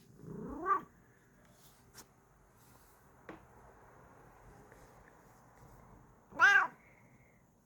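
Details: Happy female pet cat indoors giving two short chirping mrrps several seconds apart, each a brief rising trill, with faint small clicks and taps between them in a quiet room.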